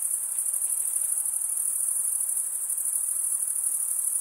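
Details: Stridulating male crickets produce a steady, piercing high-pitched trill, rapidly pulsed and without gaps for the whole stretch. No other noise is present.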